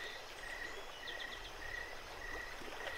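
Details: Crickets chirping at night beside a running creek at Jacobs Creek: short, high, pure chirps repeated at slightly uneven intervals, with a brief faint burst of higher clicks and steady rushing water underneath.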